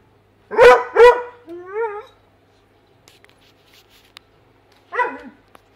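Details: A Weimaraner kept as a pet, eager to get at fish in an aquarium, gives two quick loud barks, then a short rising whine, and after a quiet gap another single bark.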